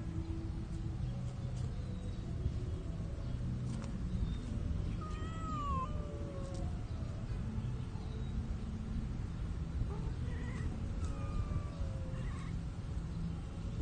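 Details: Shy cats mating under cover of plants in a park, with faint, thin rising and falling wails scattered through the clip over a steady low rumble of background noise.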